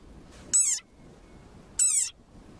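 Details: A desert rain frog gives two shrill, squeaky war cries of an angry frog, each sliding downward like a squeezed dog toy.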